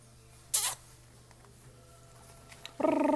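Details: A playful Shiba Inu puppy gives a brief, tonal, slightly wavering whine after a sharp scratchy noise.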